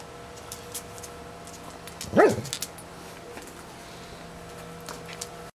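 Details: Pet Doberman playing with a bumblebee gives one short, gruff bark midway through, otherwise quiet apart from light rustling.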